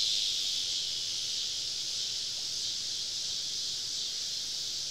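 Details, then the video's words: Cicadas calling all around a camp deep in southern summer woods at evening, forming an even, high-pitched hissing buzz of many overlapping insects without pauses. "Southern Evening Summer Cicada Symphony"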